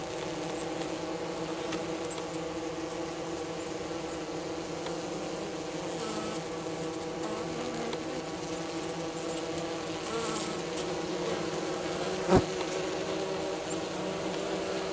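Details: Hygienic honey bee colony south of St. Paul, Minnesota, on the first warm day of March 16, carrying dead bees from the hive floor; continuous even buzzing hum with a sharp knock near the end.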